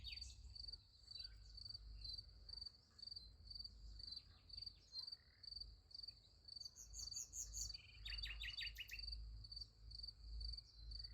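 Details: Night crickets by a sunflower field give a high, evenly pulsed chirping, about two pulses a second, while brief bursts of bright, rapid, descending notes break in near the middle over a constant low rumble.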